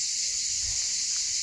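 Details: A dense, continuous cicada chorus fills the air outdoors on a slope in southern France near the sea, a loud steady high-pitched electric buzz.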